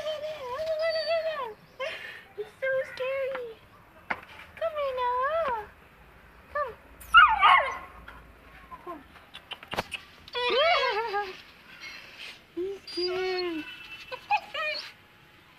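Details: Turkey, a two-month-old Saint Bernard puppy, afraid to go down stairs, whines repeatedly in long wavering, quavering tones with short yelps between, as a woman talks to it.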